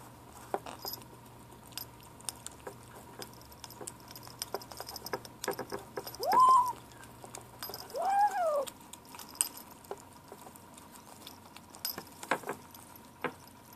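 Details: Seven-week-old gray kitten Ashe vocalizing at lunchtime: a rising-falling squeak followed by a descending whine, over light feeding clicks and taps in a small room.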